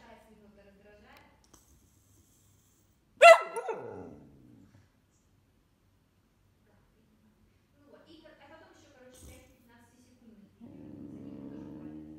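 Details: Male whippet, a pet described as more hyper than most, lets out one sudden sharp bark trailing into a short falling yelp; quiet voices before and after, and a person talking steadily at the end.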